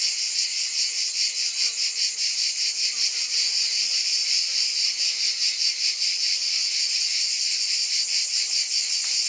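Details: Cicadas in a dense, unbroken high buzzing chorus that pulses steadily about two or three times a second, with a shimmering texture and no other clear sounds.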